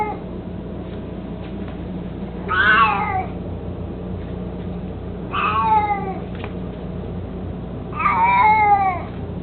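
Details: Eighteen-year-old cat Mico, mostly blind and a little chubby, fond of his toy mousey, meows three times at about three-second intervals; each call is a rich, wavering wail that bends downward, with a constant low background hum.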